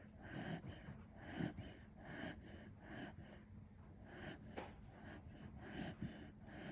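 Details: Kinchan, a Kishu dog sound asleep, gives wheezy snoring breaths in quick succession, low throaty snorts recurring about every half to one second against a faint background hum.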